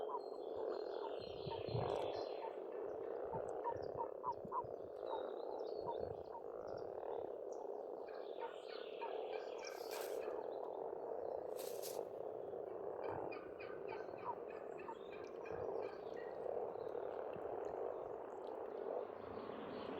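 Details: Springtime pond chorus of many frogs in Estonia, an unbroken rolling croaking wall with rapid pulsed croaks standing out, while small birds chirp and twitter above and two short sharp knocks break through.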